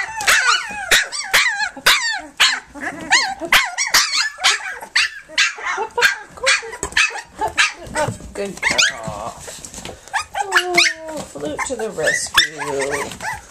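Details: Three-week-old pups of Flute, nursing and playing, make rapid high squeals early on, then longer lower drawn-out whimpers and moans later, all overlapping in a busy litter chorus.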